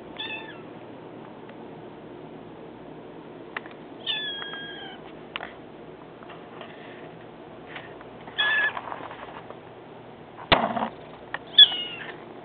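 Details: Male kitten four weeks old, kept with his mother until six weeks, lets out several short, thin meows, some slightly rising or wavering, spaced seconds apart, with scattered clicks and rustling between them in a quiet room.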